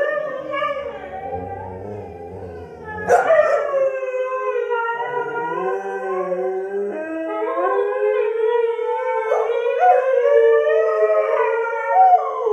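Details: Long group howling from Sky the Siberian husky, joined by English springer spaniels Marshall and Sadie after a spaniel annoys him. Several drawn-out, gently wavering howls overlap and slide in pitch, with a brief sharp yelp early on.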